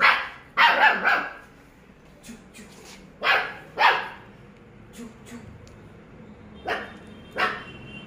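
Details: German Shepherd dog barking in bursts: a quick cluster of three barks, then irregular single barks over eight seconds, with faint background noises between.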